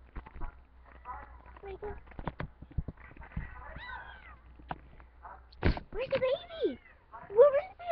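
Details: Domestic cat looking for her kittens indoors, giving a few short rising-and-falling meows near the end, mixed in among steady human talk and soft background sounds.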